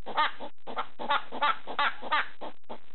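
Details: Pet hedgehog making barking noises at a slipper late at night, a burst of short, rough, clucking pulses spaced about a third of a second apart, with a quiet gap near the start.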